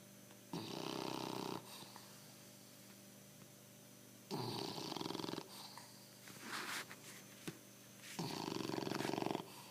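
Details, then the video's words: Pancho, a bulldog, snores steadily indoors: four rattling, pulsed rasps, each about a second long, come roughly every three to four seconds, with quieter breathing in the gaps. His name is called afterwards. "BULLDOG, Pancho para de roncar !"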